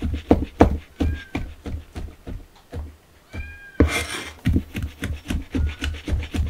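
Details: Kittens excited by the smell of chicken, giving thin rising meows amid rapid, regular huffing or sniffing sounds repeated about three times a second, with a louder burst near the middle.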